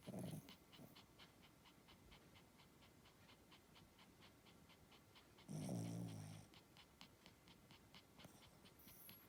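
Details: Sleeping Spitz dog snoring: two rough, low, rattling snorts, one at the start and another about five seconds later, with a hissy upper edge, over a steady run of faint regular ticking in the background.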